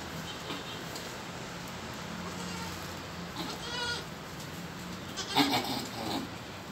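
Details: Goat giving birth, letting out one short quavering bleat midway, followed by a brief sharp sound near the end, over a constant low hum.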